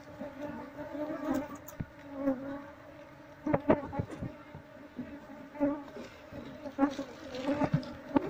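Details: Honey bees in a wild nest built inside a wall, with the comb being scraped away slowly with a knife while searching for the queen. A continuous humming drone is broken by repeated clicks and scrapes.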